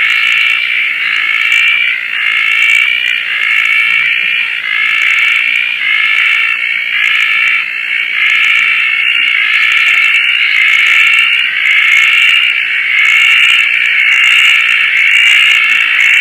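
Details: Roth's tree frogs calling at night at Koah after rain, among many frogs out in the lush wet surroundings: a dense, rasping, stacked chorus with a pulsing beat roughly once per second, steady throughout, with faint higher chirps above.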